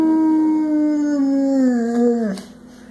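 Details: A drawn-out howl from Boo, a 100-pound pet boxer who sings at every chance: a sustained, level tone that sags slightly, then bends down and breaks off near the end, leaving only a low hum.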